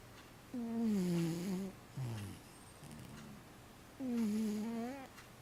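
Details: Matchan, a 15-year-old house cat that sleeps all day long, snores in a quiet room: two drawn-out whistling, slightly falling tonal snores about three seconds apart, a short gruff puff between them.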